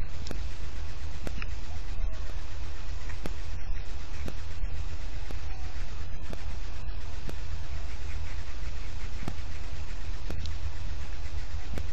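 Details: A loud, constant low rumble, like an engine or wind on the microphone, with sharp clicks about once a second; no animal calls are heard.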